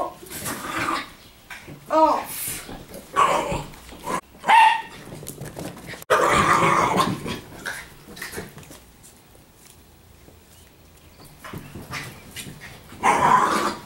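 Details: Three Italian Greyhounds playing indoors in an empty room with a boy and a toy. Short high yips and sharp barks burst out at irregular moments, mixed with a person's talking voice and thumps of running paws on the floor.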